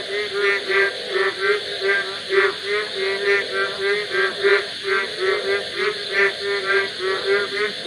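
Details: Frogs singing at night, a steady chorus of nasal, harmonic notes pulsing about three times per second, overlapping and rhythmic throughout, above a constant high-pitched hiss.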